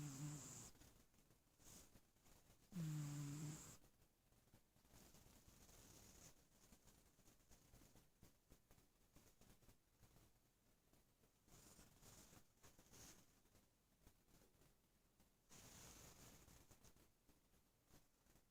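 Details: Pet cat purring quietly indoors, a soft low rumbling rhythm rising and falling with each breath, roughly every three seconds, with brief louder swells near the start and end.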